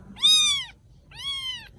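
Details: Little rescued kittens in Vietnam: two clear, high meows, each held briefly then dropping in pitch at the end, separated by a short quiet gap.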